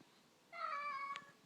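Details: Indoor cat asking to go outside, giving one short, level, tonal meow of under a second against quiet room background, with a faint click near its end.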